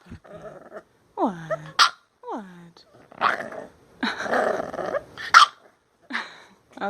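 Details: Pet female bulldog, angry about a new shirt, throws a fit: rising-then-falling whining grumbles, sharp snorting bursts and a longer, rough, growly complaint, mixed with a woman talking to her in a teasing voice.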